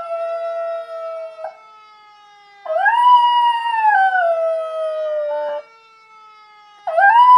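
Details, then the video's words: Schnauzer singing with a fire siren: a long arched howl rising then sagging, cut off abruptly, followed by a fresh rising howl at the end, while the siren's smooth tone glides steadily underneath. "My schnauzer singing with fire siren"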